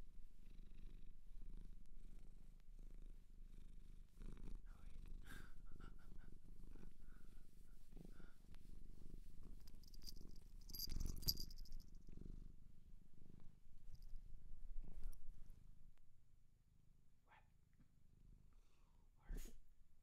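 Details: Continuous low purring from a cat taken in from a shelter in Japan, the rumble steady for most of the stretch, briefly louder with a rustle midway, then quieter near the end.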